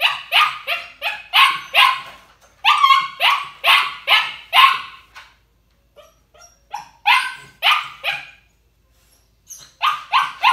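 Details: Crated young puppy, ignored by its trainer, barking from anxiety or demand: loud sharp barks in quick clusters of three to six, separated by short silences, with a couple of isolated yips in between.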